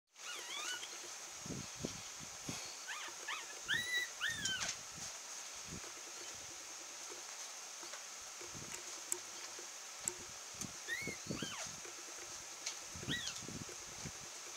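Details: A 12-day-old male long-haired Chihuahua puppy, black-and-tan and white, born 30 June 2015 and recorded 12 July in Kochi, gives thin, high, arching whimpers in short bursts, with soft bumps and rustles.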